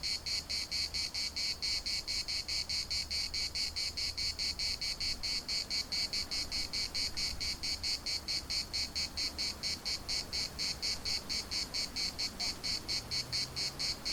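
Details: Cicadas singing in the municipal park of Larnaca, Cyprus: a loud, high, buzzy chorus pulsing steadily about twice a second, with faint low wind rumble beneath and a brief soft call near the end.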